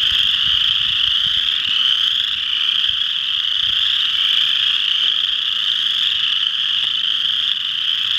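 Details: Western chorus frogs calling together at Ojibway Park in Windsor, Ontario: a dense, unbroken wall of overlapping high trills holds steady throughout, with individual callers merging into one continuous shrill drone and no other clear sounds.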